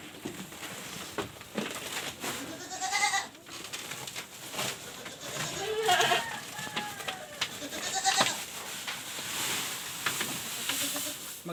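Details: Goat penned indoors because of very hot weather, giving wavering, nasal bleats around the third and sixth seconds, with a fainter cry later, over rustling, clattering and human voices.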